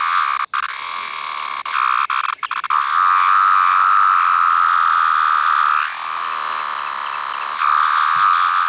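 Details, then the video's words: A larger 17-year cicada variant with yellow-brown striping under the abdomen, recorded up close as a single insect. It gives a steady high whine, broken by clicks and brief gaps early on and softening for a moment near the end. "17 year cicada making different sound"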